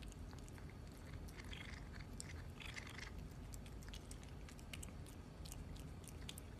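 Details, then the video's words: Cat eating food indoors, with dense, steady chewing and crunching: quick sharp clicks and bites over a low room rumble, with a brief brighter burst of crunching near the middle. "CATS EATING FOOD"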